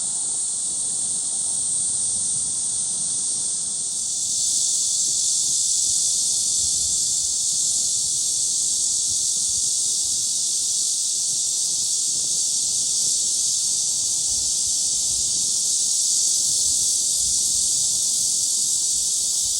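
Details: A chorus of cicadas at Gwangalli Beach sounds as a continuous, shrill, hissing drone. It swells noticeably louder after about four seconds and then holds at that level without pause to the end.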